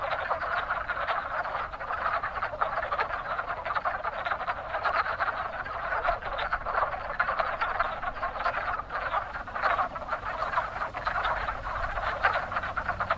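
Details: Active pond of wood frogs calling in spring breeding time; a steady wall of overlapping, chuckling croaks from many frogs, fairly even in loudness throughout, with a faint low rumble.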